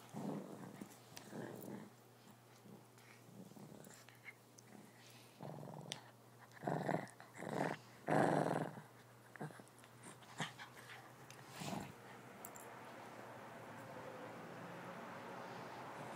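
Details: Shih Tzu puppy attacking his stuffed toy lamb indoors: low rough growls broken into short bursts, strongest in the middle, with rustling and soft thumps of play.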